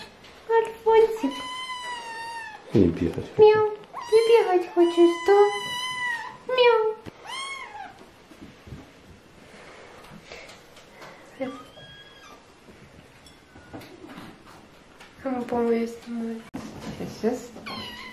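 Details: Several hungry kittens being fed meow in thin, rising and falling cries as one steals food, with a woman speaking between them.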